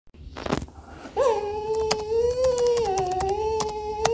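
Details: Robby, a talkative, impatient English Cocker Spaniel, whines indoors on 18 September 2022 during his owner's work-from-home day, trying to attract attention: one long steady whine, wavering slightly, after a soft thump, with light clicks and taps behind it.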